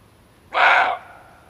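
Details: Male barking deer, in a recording offered as a hunting lure: one short, harsh bark lasting about half a second, broad and rasping with layered tones, then a faint lingering ring as it fades into quiet.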